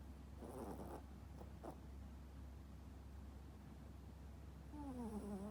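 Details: Popo, a toy poodle, sound asleep and snoring heavily: two rough, breathy rasping bursts in the first two seconds, then a thin descending whine-like squeak near the end, over a constant low room hum.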